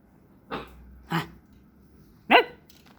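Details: Jack Russell Terrier puppy barking three times, short harsh yaps spaced roughly a second apart, the last one loudest, over a quiet indoor background.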